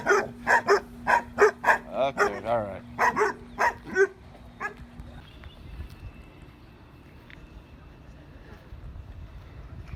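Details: Dog backstage at a dog show of exotic breeds barks rapidly, about eight sharp barks in four seconds with one wavering yelp among them, then quiet hall noise with a faint steady tone.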